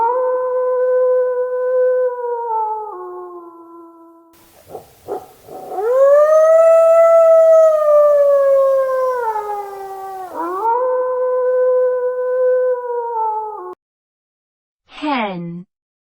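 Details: A wolf gives long, pure, tonal howls. The first steady howl dips lower near its end. After a pause comes a louder drawn-out howl that rises, holds and slowly falls, then another steady howl, and finally a short descending yelp.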